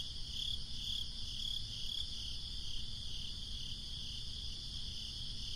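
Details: Summer night crickets give soft, high pulsed chirps, clearest in the first two seconds, against a steady low breeze rumble and a continuous high insect hum.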